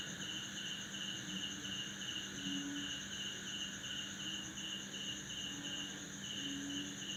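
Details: At midnight after a December downpour, male crickets chirp with their wings to attract females in a lemongrass backyard in Banda Aceh, Indonesia. Fast repeated pulses ride a steady high-pitched buzz, with occasional short low frog calls.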